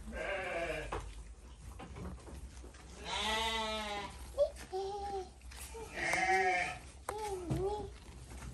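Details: Goats being fed, bleating repeatedly: three long, quavering, nasal bleats spaced a few seconds apart, each about a second long, with shorter bleats and Indonesian speech from people nearby in between.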